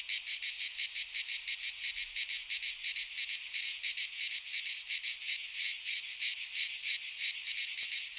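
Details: Cicadas in a Greek pine forest during midsummer, a shrill, metallic continuous buzz beating in fairly even pulses around three per second, no other animals or noise.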